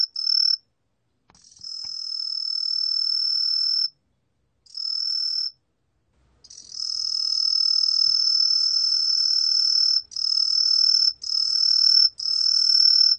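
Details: Aomatsumushi tree cricket singing in 2020: high, piercing, steady trills, some a few seconds long and one lasting about six seconds, broken by short silent gaps, with a faint lower tone beneath.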